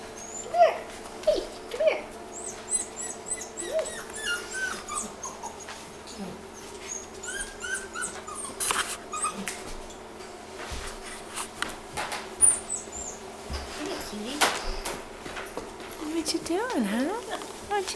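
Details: Brock, a Wheaten Terrier puppy, indoors; high thin whimpers and squeaky yips, some rising and falling, scattered through the clip with a person talking softly to him.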